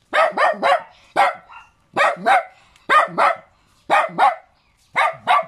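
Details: Little dog giving sharp paired barks, double yaps repeated roughly once a second, each pair bright and punchy.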